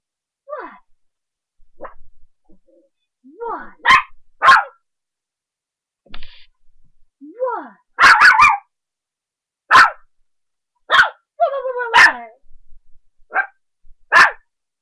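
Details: A 3½-month-old puppy barking up a storm while playing: sharp broadband barks around 4, 8, 10, 12 and 14 seconds mixed with short descending whines and yips, with a person speaking in between.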